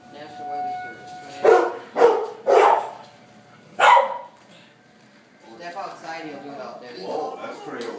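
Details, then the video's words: A frightened pet dog barking at tornado sirens: four loud, harsh barks spaced about half a second to two seconds apart, followed by softer murmuring voices and faint background sound. "barking at the tornado sirens"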